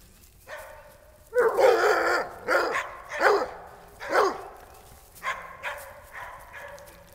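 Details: Barking from a household of coonhounds, Tanner, Goldie and Siegfried, kept with a toy rat terrier named Lewis, on an ordinary day. One long, harsh bark is followed by about seven shorter, rough barks in uneven bursts, over a faint low hum.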